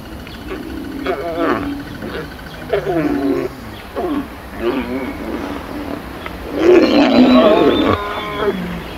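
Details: A mating lion pair, heard up close, gives harsh snarling growls in short bursts about every one and a half seconds. The series ends in a louder, longer snarl while a person speaks softly.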